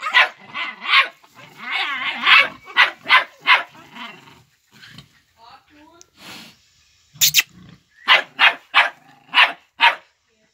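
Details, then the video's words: Five-month-old Jagdterrier working a wild boar, barking in quick runs, then a quieter gap with a brief squeal-like sound and a sharp knock, before the barking resumes; a man's voice at the start. "Jagdterrier vs Wildboar"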